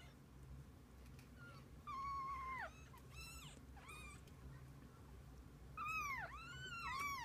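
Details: Kittens with their mother cat, giving drawn-out falling mews, one long and sagging, then short rising-falling squeaks, and finally a loud pair of plaintive dipping cries, heard indoors over a faint hum.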